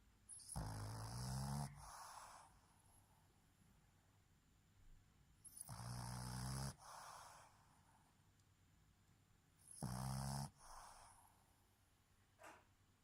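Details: A female Boston terrier, asleep with her eyes open, snores in long, rattling, low-pitched breaths repeated every four to five seconds.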